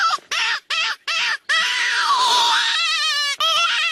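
A jackal gives a quick run of high yips, then a long wavering howl that dips and rises again.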